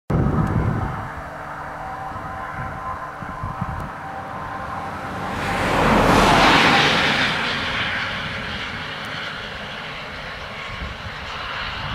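No animal calls, just a low engine rumble that swells and fades as an aircraft passes overhead.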